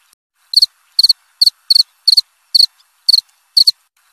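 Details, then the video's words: Cricket chirping in short bursts of three or four rapid pulses, about two bursts per second, each bright and high-pitched, with silence between them and no other sounds. "Suara jangkrik krik.. krik.."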